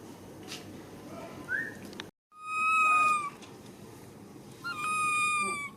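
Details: A baby monkey stands up and screams loudly: after faint background noise and a short break, two sustained, shrill, even-pitched cries follow about a second apart.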